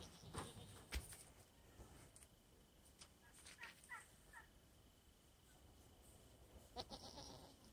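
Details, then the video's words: A male pet goat greeting his owner after time apart; several brief wavering bleats spread across the recording, with scattered clicks and low background rumble between them. "Reaction of Sam the Goat not seeing me in awhile"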